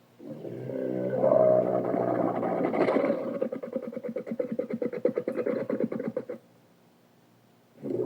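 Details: Dromedary camels recorded in the Sahara in 2017: a low, harmonic groaning bellow that breaks into a rapid gurgling, throbbing rumble for about three seconds, then stops, with another groan starting at the end.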